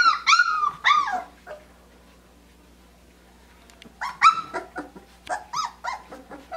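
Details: Australian Shepherd puppies aged three weeks and five days, given puppy mush for the first time; loud arching whines and yelps open, a quiet pause, then rapid overlapping yips and whimpers from several pups.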